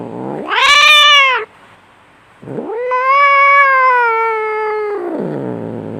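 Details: {'caption': 'Angry cat fight: a sharp, shrill harmonic yowl followed after a brief gap by a long steady wailing cry that slowly fades lower.'}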